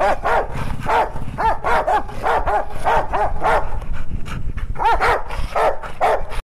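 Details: Two Rottweilers, a father and son, trade rumbling growls and short, rising-and-falling grumbles in a rapid back-and-forth, possibly fighting or possibly "talking".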